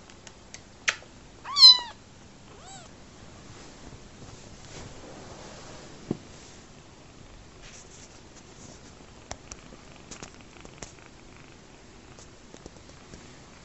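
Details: Young rescued kitten, orphaned after his mother died shortly after his birth, enjoying his bottle at home; three quick mews early on, the second loudest, followed by quiet clicks and soft handling noises.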